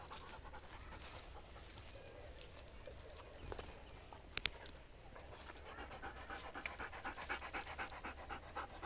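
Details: Dog being fed grass in a wheat field, panting in quick rhythmic breaths, about four per second, clearest in the second half, over steady outdoor rural background noise and a couple of sharp clicks.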